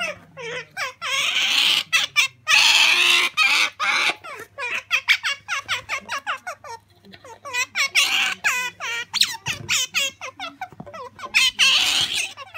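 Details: Sakura, a female pet otter, begging for jerky: rapid high chirping squeaks in dense bursts, roughly three a second, with short pauses between runs.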